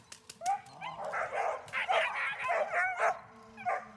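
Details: German Shepherd Dornan barking during protection training: a few quick barks building into a dense, harsh volley, then tapering to a single last bark, a few sharp snaps near the start.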